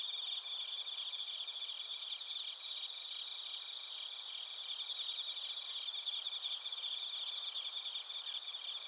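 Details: Insect night chorus of crickets and bell crickets from Narita, Chiba, Japan, recorded with a TASCAM Portacapture X8: many overlapping high-pitched pulsed chirps forming a steady, even shimmer for nearly nine seconds.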